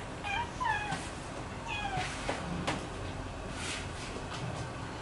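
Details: Scottish Straight kittens eating alongside their mothers; a few thin, high, falling mews early on, then clicking and chewing noises over steady background hiss.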